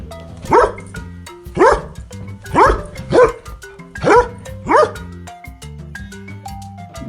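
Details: Dog barking: six sharp, loud barks spaced about a second apart, each a short rising-then-falling burst, over a light plucked musical backing that continues after the barks stop.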